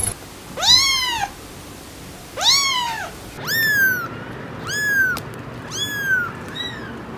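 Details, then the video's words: Kittens meowing: two longer arched mews followed by a run of four shorter, sharper cries, slightly lower and descending, with quiet background between calls. "Cats Meowing – Kittens Meowing Video – Cute Kitten Meowing Videos – Funny Cat Meows"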